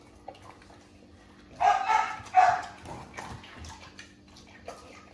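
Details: Where an XL American Bully father meets his pups on his birthday, two rough, loud barks follow each other closely in the middle, then quieter fading sounds and a room hum.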